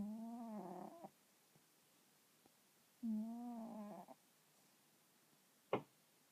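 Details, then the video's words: Domestic cat asleep, snoring instead of purring: two drawn-out, low buzzing breaths about three seconds apart, followed by a single sharp click near the end. "いびきをかく猫 - snoring cat"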